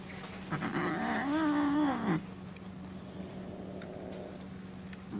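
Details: Pet cat Peko confronting a calico kitten on a trial adoption, at their first meeting indoors. Peko seems to resent the newcomer in its own cage. A raspy, throaty growl-yowl with a breathy edge lasts about a second and a half, then cuts off into near quiet.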